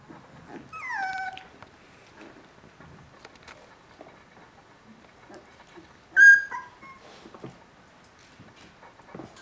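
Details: Three-week-old Border Collie puppies from a litter: a high whine sliding downward with clear harmonics near the start, a short sharp squeal around the middle, and faint rustling and shuffling between the cries.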